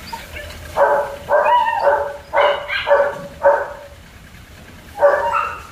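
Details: German Shepherd puppies at Zondiram Kennel bark in quick successive bursts, then pause before one more bark near the end.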